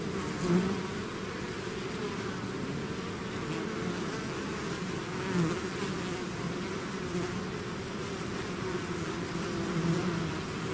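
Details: Bees swarming outside their hive produce a steady, layered drone, low and humming, with occasional nearer bees swelling briefly in volume.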